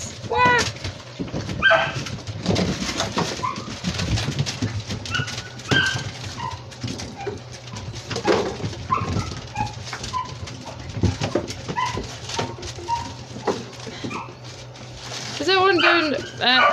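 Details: Seven-week-old Labrador Retriever puppies from Echo's litter, playing in a playroom, 27 January 2023: high whining whimpers and short yelps in brief bursts near the start and end, over constant scuffling and pattering, with a person talking.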